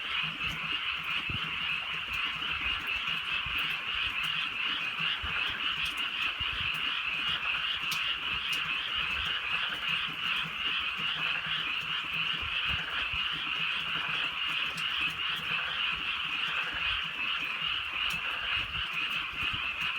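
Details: Many frogs croaking through a drizzly country night; the chorus is an even, dense, rapidly pulsing trill that holds the same level from start to finish, with a few faint clicks scattered over it.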